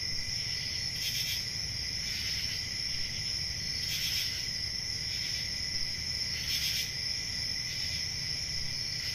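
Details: Nighttime crickets on a quiet country summer evening: shrill sustained trilling and an underlying lower buzz, with stronger chirp bursts recurring every two to three seconds, over faint low rumble.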